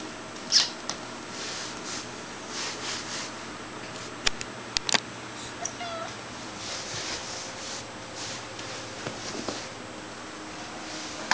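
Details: Domestic cat following its owner indoors, giving a few short meows in a small room, with faint rustling, clicks and a steady fan hum behind.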